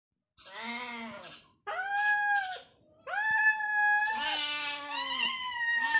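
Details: Two hungry cats meowing while fighting over food, indoors: loud, drawn-out harmonic meows that rise then fall, overlapping one another in quick succession with brief pauses.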